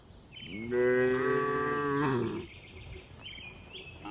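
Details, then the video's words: Tame cattle relaxing in a spacious livestock farm barn: one long, steady, deep moo of about one and a half seconds, rich and even throughout, then softer high faint calls in the quiet barn background. "Calm Cattle Sounds"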